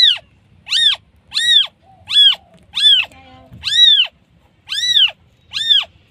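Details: Newborn kitten calling for its mother: eight high, thin mews, each rising then falling in a short arch, repeated roughly every three-quarters of a second over a quiet background.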